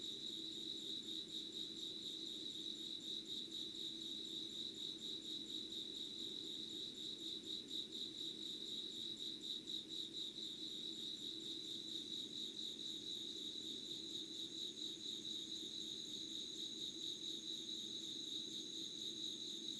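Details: Insects calling at 5:00 on 25 August 2019 in unedited natural recording: a dense, rapidly pulsing mid-high trill runs continuously beside a thin, steady, very high whine, over a faint low constant hum.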